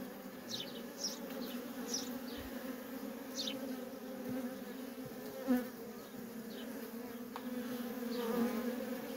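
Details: Steady, dense humming drone from worker honey bees streaming nonstop in and out of a feral colony. A low buzzy tone with a strong overtone, and a few brief high chirps scattered above.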